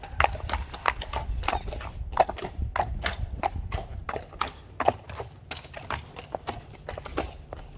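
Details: Friesian mares let out onto a grassy area; a steady run of sharp clip-clop hoof strikes on a hard surface, irregularly spaced, with a low rumble underneath.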